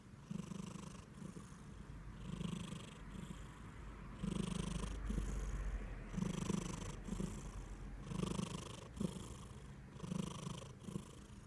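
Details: Riri-maru, a plump Somali and Norwegian Forest Cat mix, purring and then snoring in sleep. Low, rumbling purr with breathy snore bursts returning about every second, some louder and hissier than others, in a quiet room.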